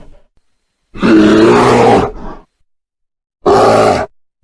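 A bear gives two harsh, rumbling growls, the first long and throaty, the second shorter.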